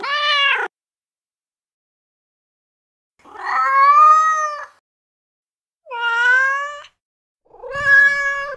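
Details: Meowing of a male cat in heat: four long, rich wails, each over a second, steady or gently rising in pitch, spaced by pauses of one to two and a half seconds, no other sounds.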